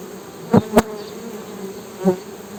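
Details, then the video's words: Honey bees giving a low, steady droning hum, with a few loud sharp taps and thumps standing out over the buzz. "HONEY BEE'S HUMMING SOUND"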